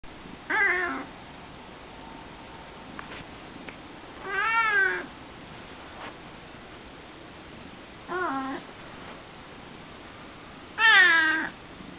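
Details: Domestic cat, female, making groggy grunt-like meows in the evening or morning: four separate harmonic meows spaced roughly every three to four seconds, some with wavering pitch, in a quiet indoor room.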